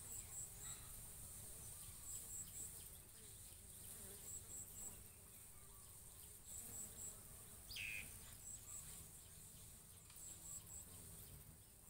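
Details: Bees at coconut flowers, pollinating and feeding: a soft, continuous low buzzing drone that swells and fades, high rapid chirp bursts at intervals, and one brief sharp bird-like chirp near the end.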